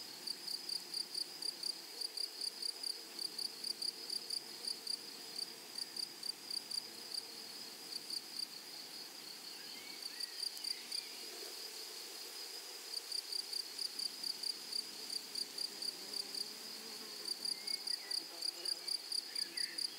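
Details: Grasshoppers in a flowery meadow or prairie: a high, thin, ringing insect trill built from rapid regular pulses, running in long bursts with brief pauses near ten and seventeen seconds; no other clear sounds.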